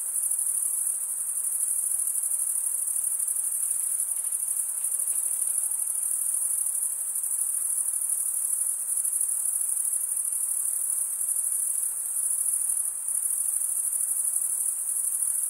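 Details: A continuous, high, ringing wall of cricket chirps runs evenly from start to finish, with subtle pulsing in the trill and no other sounds in the background.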